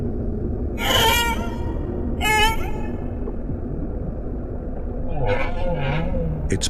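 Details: Humpback whale song, said to be created by older, larger males: a few drawn-out harmonic moans, some rising and one sliding downward, each about a second long, over a steady low underwater rumble.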